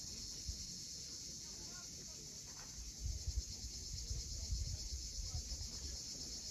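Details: Cicadas at sunset on the steep coast of Cape Fiolent, Crimea: a steady, high, hissing buzz holds without a break, over low rumbling wave or wind noise that swells from about three seconds on.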